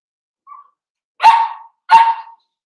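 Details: Cavalier King Charles Spaniel puppies, four weeks old and from Daisy's litter, in an indoor pen: a soft short squeak, then two loud, abrupt yelp-barks roughly 0.7 seconds apart.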